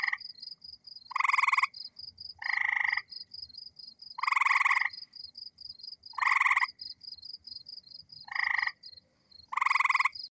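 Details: A North American gray treefrog gives loud, musical pulsed trills, each about a second long, repeated every couple of seconds.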